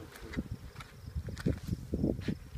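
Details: Honey bee swarm crowding the hive front during installation, searching for their queen amid many signals; low droning buzz overlaid with nearby men talking.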